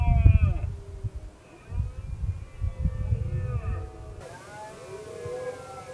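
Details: Red deer stag in the 2016 rut, one male roaming and challenging rival males. A series of deep, harmonic roaring bursts with grunting pulses, rising and falling, with a sharp break near the end.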